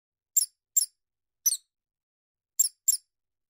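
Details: Field mouse giving five short, very high-pitched squeaks over three and a half seconds, spaced singly and in close pairs, each a thin bright chirp; the background is otherwise silent.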